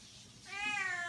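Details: A vocal, chatty female Siamese cat, Bella, described as happy and very friendly, lets out one long, strongly voiced, bright, nasal meow that rises slightly then holds steady, after a quiet room hush.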